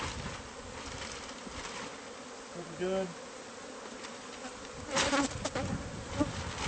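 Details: A bee colony found inside house walls, heard as its hive is removed: a continuous droning hum beneath bursts of scraping, clatter and brief voice-like sounds.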